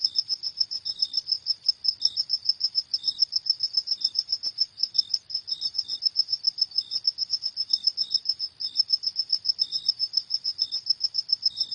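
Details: Crickets at night producing a continuous shrill pulsing chirp, evenly spaced and rapid, plus irregular softer chirps slightly lower in pitch, no background noise.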